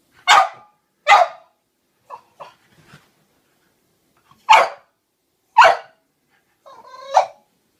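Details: A French Bulldog scared of clowns gives sharp, gruff barks spaced a second or more apart, with softer woofs in between.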